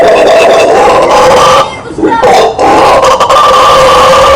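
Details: Roaring of a howler monkey, known in Brazil as bugio or guariba: a dense, harsh drone that breaks off briefly near the middle, then resumes as strongly as before.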